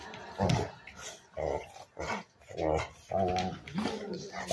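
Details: A mad dog that wants a bone grumbles and whines in short bursts, about five vocal outbursts over several seconds, some low and growly, others higher and moaning, with quiet gaps between.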